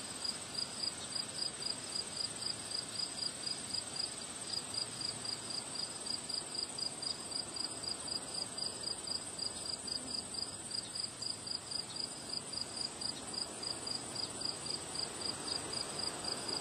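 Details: Crickets chirp on a windy day among flowers. Sharp, high-pitched chirps repeat about four times a second in a steady, regular rhythm over a constant thin trill, with soft wind noise behind.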